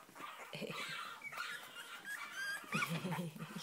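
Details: Whole litter of Cavalier King Charles Spaniel puppies, Sarlat and Chloé's, born 7 April 2014 in Spain, all wanting to get out; dense rapid whimpers and squeals, with a woman talking over them.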